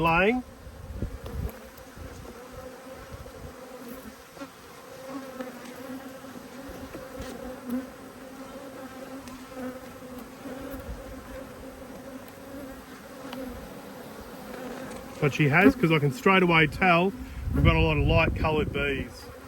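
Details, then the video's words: Bees from two angry hives under inspection give a long, even drone; near the end several bees zip close past with loud, wobbling buzzes that rise and fall in pitch. "When Bees Go Wild - Inspecting Two Angry Hives"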